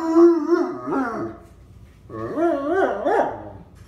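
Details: Pet German Shepherd howling at a ringing telephone: two long wavering howls, each rising and falling in pitch over about a second and a half, separated by a short pause.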